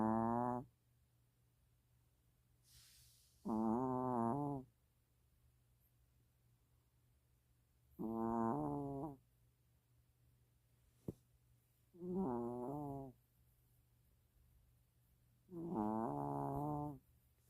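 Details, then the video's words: Snoring long-haired Chihuahua Mina sleeping: five wavering, buzzy snores recurring roughly every four seconds, with a soft hiss early on and one sharp click midway, over a low steady hum. "장모치와와 민아 강아지 코골이"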